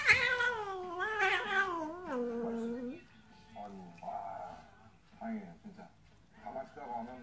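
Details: Domestic cat playing with a kitten gives loud, wavering, drawn-out meows that slide downward for about three seconds, followed by shorter mews mixed with a person talking.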